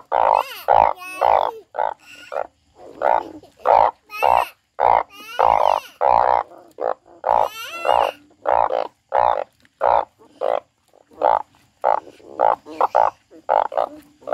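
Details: A frog heard crying produces a dense, uneven train of loud croaks, nearly two per second, several of them drawn out and pulsed, with only brief gaps.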